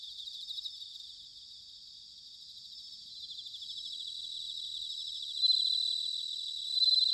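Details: Autumn bell cricket song recorded in Sanuki, Chiba, Japan: high, clear ringing trills from several insects, swelling gradually and peaking in bright bell-like bursts near the end, with no other sounds.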